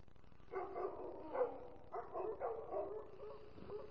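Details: Sammy, a pet American Foxhound, sings along with his owner: a run of mid-pitched, wavering baying howls, broken into several swelling phrases over about three seconds, in a quiet indoor setting.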